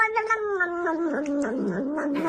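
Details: A cat gives a drawn-out, wavering yowl lasting about two seconds. It starts higher and slides gradually lower, with a rough, quavering stretch in the middle.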